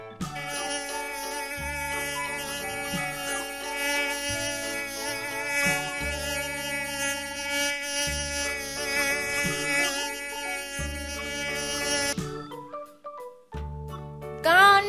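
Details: Fly in a children's animal-naming lesson: a continuous buzzy whine with a gently wavering pitch that runs for about twelve seconds, then stops briefly. Background music with a steady beat plays throughout.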